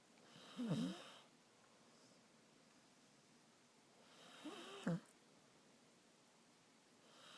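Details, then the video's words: Sleeping female dog Stella, head laid on someone's shoulder, gives two low rumbling snorts with a raspy, hissy edge, roughly four seconds apart, between quiet breathing in a small indoor room. "Stella snoring"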